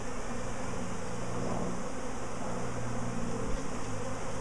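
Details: Honey bee swarm, a week after the colony swarmed before, the queen thought to sit at the very top; steady low droning buzz of many bees with slight swells in loudness.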